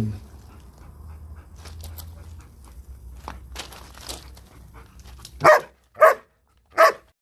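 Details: German Shepherd barking: after several seconds of soft rustling and a low hum, three loud, sharp barks ring out in quick succession, about half a second apart, in the final two seconds.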